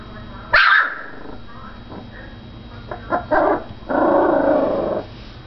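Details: Foster puppy growling and barking: one sharp bark, then a series of short grumbling growls ending in a sustained low growl lasting about a second, over steady low hum.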